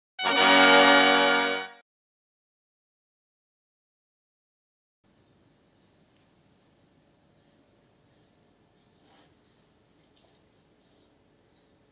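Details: A short loud musical jingle, then near-silence with faint background hiss.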